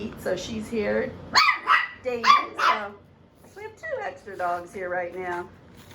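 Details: Seven-week-old puppies from Phoebe's litter giving sharp, high yips and barks in quick bursts, with squeaky whining notes between them and human voices talking over and around them.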